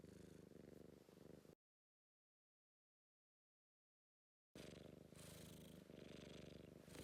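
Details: British Blue Shorthair cat purring affectionately, a low rumbling purr heard in two stretches separated by a few seconds of silence, breathy texture on each cycle.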